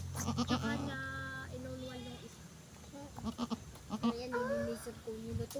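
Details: Newly delivered goat calling with long, steady, nasal bleats, each held about a second with an even pitch, one ending in a rising waver, while people talk and shuffle nearby.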